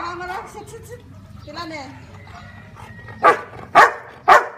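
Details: Marley the counting Labrador gives three loud barks at the close after a stretch of a woman speaking, answering the number of fingers she shows.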